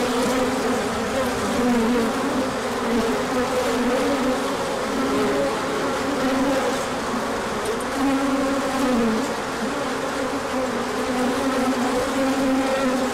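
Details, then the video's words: Large orientation flight of bees emerging in sunshine after cold days, with pollen arriving later; continuous layered humming from countless wings, pitches sliding slightly up and down, steady loudness throughout. "Large Orientation Flight."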